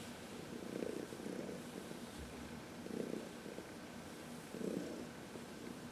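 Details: Purring from Heidi, a 14-year-old adopted shelter cat, relaxing under a massage in sunshine, March 19, 2021; soft throbbing pulses swell about every second or two over a faint continuous rumble.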